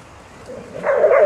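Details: Groenendael walking alongside two others of its breed and a Border Collie on 3 May 2012: a low murmur swells into a loud, sustained, wavering bark-whine held for about half a second at the end.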